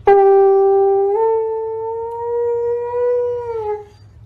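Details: Siberian Husky giving a long, steady, musical howl on one sustained tone for nearly four seconds, stepping slightly higher after the first second and holding before fading, with a faint low hum underneath.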